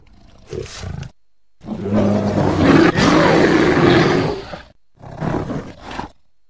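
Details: A bear growls in woods beside a house, a deep, rough, rumbling roar lasting a few seconds between shorter grunts, apparently directed at the person recording.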